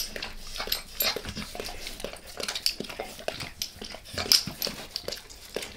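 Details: Dog named Max licks his owner's face in a quiet room: crisp, wet, clicking tongue sounds, bright and sharp, coming in quick irregular bursts with brief pauses, no voices.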